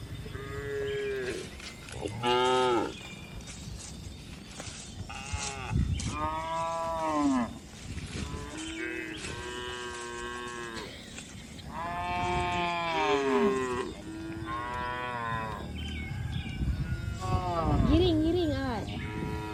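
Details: Cows moo repeatedly, long low harmonic calls that swell and fall, while walking on a hill journey with gentle footsteps.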